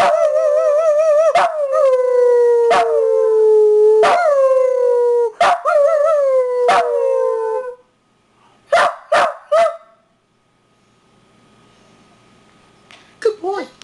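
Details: Howling pet dog: a run of short, falling howls repeated about every second and a half, each opening with a sharp yip, then a few quick barks, a quiet pause and a final faint whine.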